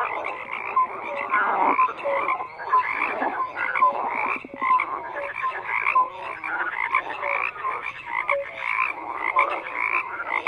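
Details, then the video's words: A dense chorus of many frogs croaking at once, overlapping pulsed calls and short tonal notes in a steady mid-pitched wall of sound with no pauses, no other animals or voices standing out. "FROGS CROAKING"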